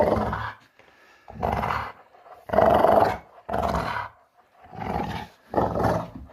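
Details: Puppy in playful mood makes six gruff growling bursts, each under a second long, with loud rasping peaks and brief quiet breaks between them.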